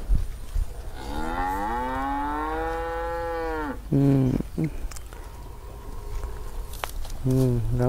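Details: Angry cow stuck in an irrigation ditch by a grass field, a long moo rising then holding for almost three seconds, followed by short low grunting bursts, rustling, and another brief grunt near the end.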